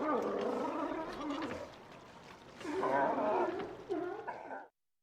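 Sea lions give harsh, throaty barks and gargling roars, with overlapping voices rising and falling.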